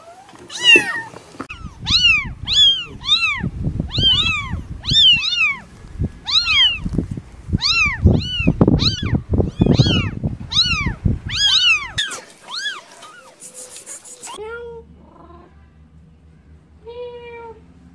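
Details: Newborn kittens giving a rapid series of high, arched meows about every second, steady and insistent, with rustling underneath; after a cut, a couple of fainter, lower meows follow.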